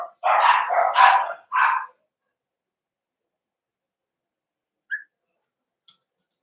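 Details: Barking in a Cavalier King Charles Spaniel puppy pen during socialization with bigger household dogs, 12/13/22: a quick run of four loud barks in about two seconds, then near silence broken by two faint squeaks.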